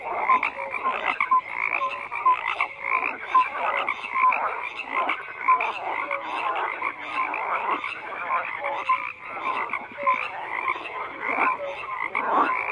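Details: Frog chorus of steady croaking, overlapping rattling calls and brief tonal pips from many individuals, continuous and dense with gentle swells in loudness.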